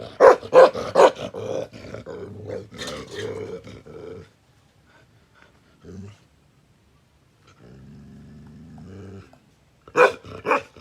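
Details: Aggressive Bakarwal protection dog barking rapidly several times, then growling in a low rumbling drawl that fades to near silence, a short growl mid-way, another long low growl, and two sharp barks closing.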